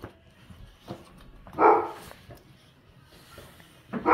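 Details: Dogs greeting their owner at dog daycare pickup, happy to see them; two short, loud whining yelps, one near the middle and one at the end, over quiet background noise.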